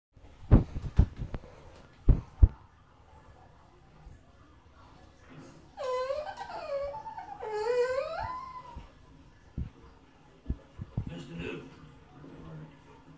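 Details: French Bulldog indoors, crying while watching the film Beethoven on TV: after scattered knocks and taps, a quiet wavering wail rises and falls twice over about three seconds, then faint thuds.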